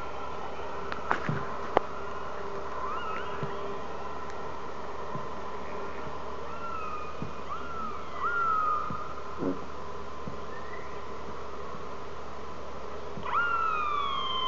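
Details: Orcas talking to each other, recorded on a hydrophone from a whale-watching boat out of Telegraph Cove, British Columbia, trade squealing harmonic calls that slide down or sweep up every few seconds over a low constant hum and occasional clicks.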